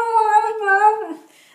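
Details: Shiba Inu named Luna, a female pet indoors, vocalizing on the command "speak": a drawn-out, howl-like yodel with steady harmonics, dipping slightly midway and trailing off into a soft whine after about one second.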